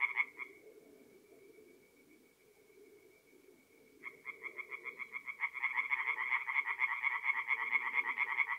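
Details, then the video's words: Tree frogs singing at a north-east Italian forest pond on an April night: a burst of croaks, a thin sustained tone for several seconds, then pulsed calling resumes and builds into a loud overlapping chorus over a low hum. "relaxing forest pond by night with singing tree frogs"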